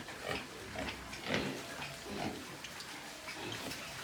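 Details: Grunting from white pigs kept on a Nepalese pig farm: several soft, rough grunts at irregular intervals, one stronger around the middle, against a hissy background.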